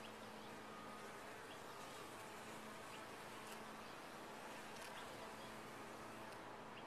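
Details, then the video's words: Constant buzzing from a colony of bees in a top-bar hive, thick and even, with a steady low drone tone running underneath and occasional brief ticks. "Bees in a topbar hive"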